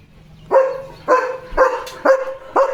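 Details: Leo the German Shepherd keeps barking at another dog he saw outside; five evenly spaced, full barks about half a second apart, each with a clear tonal core.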